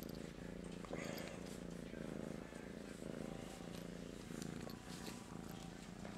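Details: Groggy morning purring from the cat Master Shifu, flopped over and seeking attention: a continuous low pulsing rumble, fast and unbroken, with a woman's gentle voice saying good morning over it.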